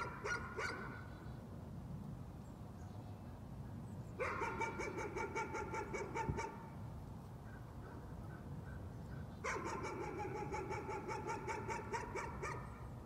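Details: Dog barking persistently as a nuisance, two long bursts of fast repeated barks separated by a quiet gap, with constant low rumbling in the background.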